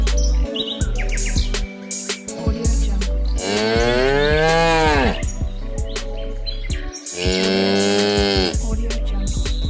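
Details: A cow on a farm gives two long, deep moos with a harmonic rise and fall.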